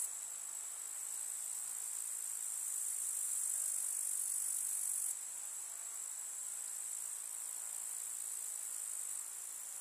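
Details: Summer meadow grasshoppers stridulating, a continuous bright high buzz-trill, slightly louder in the first half and dropping a little at about five seconds, otherwise unbroken.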